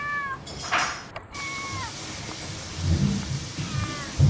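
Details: Domestic cat giving short, faint meows with flat, slightly falling tones near the start and end, amid low rumbling background noise and a brief clatter.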